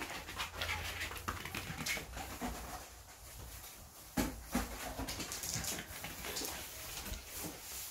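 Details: A timid female Bichon Frise puppy, born March 2019, crunches and chews a carrot snack with wet, crisp bites and light panting; chewing sounds.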